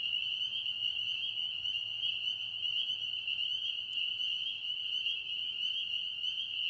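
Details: A dense chorus of pond frogs in Tennessee gives high, steady trilling that holds unbroken at one pitch throughout.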